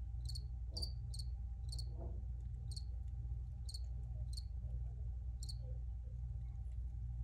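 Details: Cricket chirps recorded outdoors: crisp high pulses repeated roughly every half second to second, fairly even in strength, with a constant low hum and faint mid-range rustles behind them.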